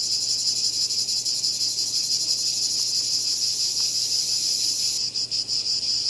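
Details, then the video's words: Cicada calling with a loud, shrill, continuous high-pitched buzz that throbs with a fast pulsing texture, breaking into a few short stutters in the final second. "Cicada Called || ឪរៃអើយរៃយំ"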